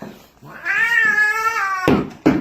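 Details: Pet cat blocking its owner's way down indoor stairs makes a strange, sustained yowling meow lasting about a second, level then sliding down, followed by two sharp thumps like footsteps on the stairs.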